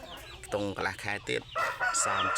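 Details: Cross-bred Asil and Kelso gamecock, eight months old and 3.2 kg, starts a steady, level crow in the second half while a man talks over it.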